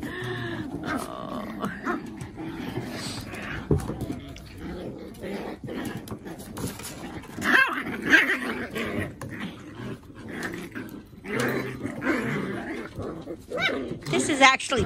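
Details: Dog pups playing together as siblings, play sounds that seem fierce but are only play; irregular growls and short barking yelps with bursts of noise, a woman talking and laughing over them.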